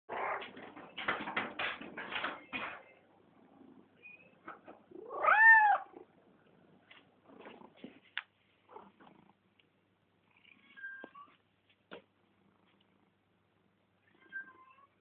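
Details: A male domestic cat, interested in the camera, greets it: a short, wavering meow with stacked harmonics near the middle, preceded by rustling handling noises and followed by faint soft chirps and clicks in a quiet room.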